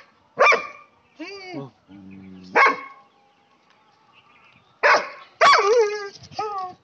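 A German Shepherd gives loud, sharp barks spaced a couple of seconds apart, with a voice between them.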